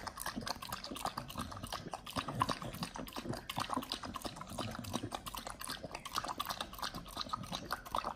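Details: Raw-fed Pit Bull dog chewing raw quails, close up: quieter, wetter munching with soft squelches, lip smacking and scattered crunchy clicks of bone, steady and unhurried.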